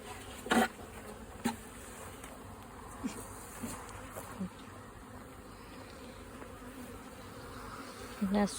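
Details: Kept honey bees at the new territory of a young queen after the colony split; a soft steady hum broken by short louder buzzes as single bees pass, near the start and again at the end.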